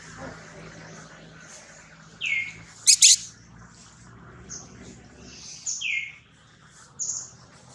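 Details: Baby monkey Jody, a newborn held by kidnapper Spring, gives shrill descending wails twice, about three and a half seconds apart. A sharp double crackle and soft scuffling noises fill the gaps.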